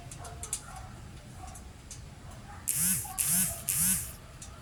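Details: Siberian Husky dogs, one nibbling bread bit by bit and asking for more once it is gone, at night snack time; three short arched whining yelps in quick succession near the end, after a quiet stretch with faint talk.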